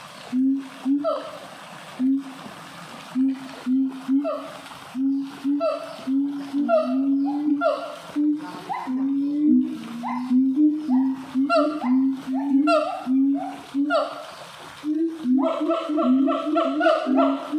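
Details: An excited siamang singing at a zoo in North Lombok, West Nusa Tenggara, gives a fast run of resonant, hooting calls in steady rhythmic bursts.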